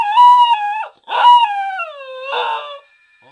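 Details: Pembroke Welsh Corgi howling in three drawn-out, harmonic-rich notes: the first steady and slightly falling, the second sliding gradually lower, the last rougher and wavering before breaking off, with brief pauses between.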